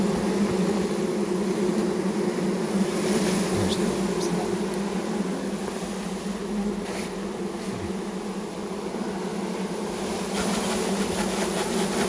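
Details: Honey bees from a newly installed package, several thousand poured into a hive with the caged queen, by first-time beekeepers: steady dense humming drone throughout, with faint rustling and brief knocks.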